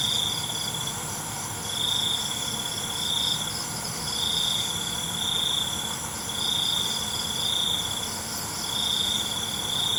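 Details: Nighttime cricket chorus of long, shrill trills, each about a second in length and following one another almost without pause, over a dense high-pitched insect buzz.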